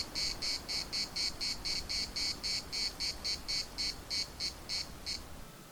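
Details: Cicadas singing at the municipal park in Larnaca: a steady run of short, buzzy, high-pitched pulses, about four each second, that rises briefly and stops after five seconds.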